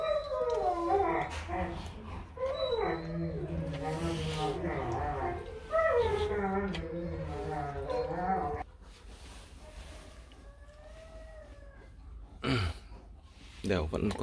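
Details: Four-day-old Rottweiler puppies, a litter, whimpering and squealing in rising and falling whines, several overlapping, with a woman speaking in the background and quieter stretches later.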